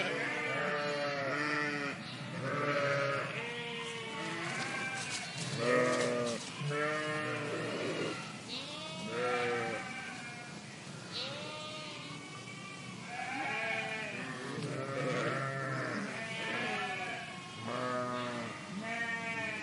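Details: A flock of sheep in a park bleating continuously, many overlapping wavering bleats from several animals rising and falling throughout, with a steady background murmur.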